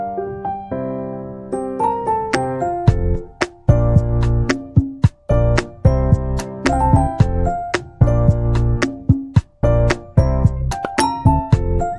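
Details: Bright electric piano music plays throughout, with repeated chords and a steady bass line and no animal voice.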